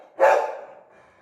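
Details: A pet Labrador Retriever indoors gives a single sharp bark, a bright burst that fades quickly into a quiet room.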